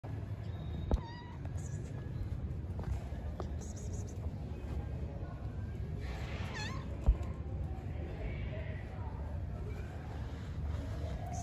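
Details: Hungry stray cats living on the street, meowing while being fed; a short harmonic meow near the start and a clearer falling meow mid-clip over a constant low rumble.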